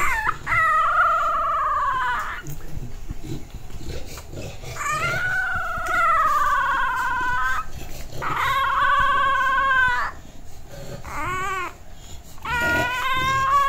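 An English Bulldog puppy lets out drawn-out, tuneful yowls, each lasting one to two seconds.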